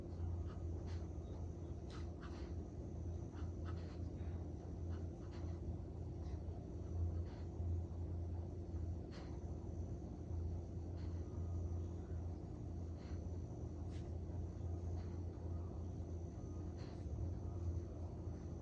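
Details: Worn out after a three-hour walk and training session in the park, a Collie snores loudly; low rhythmic rumbles rise and fall about once per second across a continuous deep hum, with occasional faint clicks.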